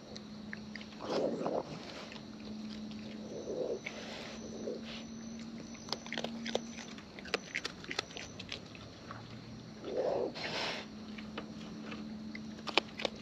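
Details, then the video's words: Raccoons in the wild feeding at close range: irregular crunchy chewing and sharp clicking bites scattered through, with louder smacking bursts at intervals and a low steady hum in the background. "Wild Raccoons & ASMR Chewing Sounds"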